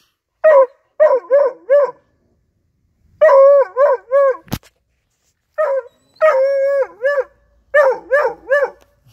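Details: A 4-month-old Bluetick Coonhound hunting dog, discovering his first raccoon, gives bursts of high, tuneful, baying barks in quick groups of three to five.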